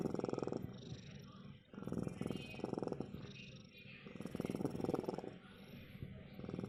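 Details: A domestic cat purring steadily in low rhythmic pulses, broken into bursts of roughly a second with short pauses between them, a soft breathy texture throughout and faint voices in the background.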